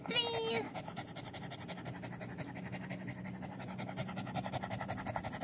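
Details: Village dog (anjing kampung), 18 April 2021, panting in quick regular breaths after a brief burst of a child's voice at the start, with a faint steady hum underneath.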